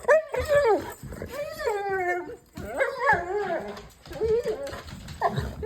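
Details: A female golden retriever greeted by her owner answers with a run of loud, wavering, harmonic whines and moans, rising and falling like talking, in several bursts over a few seconds.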